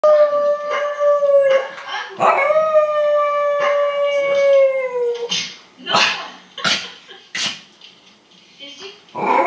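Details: Female Jack Russell Terrier howling in response to a homemade recording of her dog friends. Long, sustained, tonal howls slide gently downward, several in a row during the first five seconds. Shorter broken vocal bursts and voices follow.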